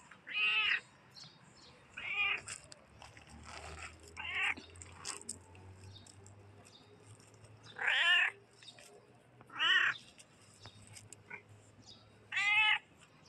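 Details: Black stray cat giving six separate meows spaced about one to four seconds apart, each a bright harmonic call bending up then down, with a low steady hum underneath and light handling noises.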